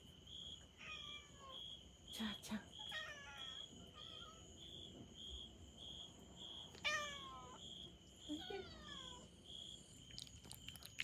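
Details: Angry kitten, one of a rescued cat family in Setouchi, Japan, furious after being left out of a week-long trial. Several falling, harmonic meows come in short bursts with pauses. A steady high insect-like drone and a person's voice sound in the background.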